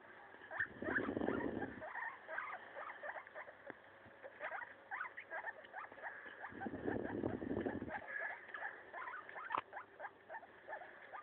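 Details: Maso, a pet guinea pig, munching a leaf while uttering many short upward squeaks in irregular runs, with two longer bursts of rustling leaf noise.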